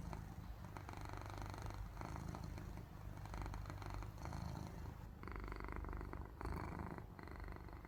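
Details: A domestic cat purring while asleep, its purr likened to snoring: a low, steady rumble that swells and eases in rhythmic cycles roughly every second and a half, recorded indoors with no other clear sounds.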